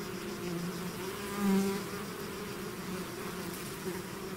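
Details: A bee swarm emerging from its hive: continuous massed buzzing with a deeper hum, one insect flying close and swelling loud briefly before the drone settles back to an even level.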